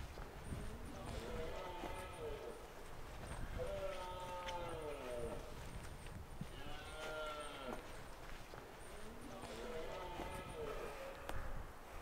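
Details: Autumn rut of red deer in the Scottish Highlands, a stag with a small harem; four long, descending, moaning roars a few seconds apart over constant rustling and faint high ticks.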